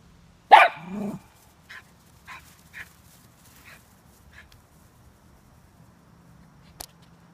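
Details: Cairn Terrier protecting his yard: one loud sharp bark followed by a lower growling tail, then a series of soft, short muffled woofs spaced about half a second apart, and a click near the end.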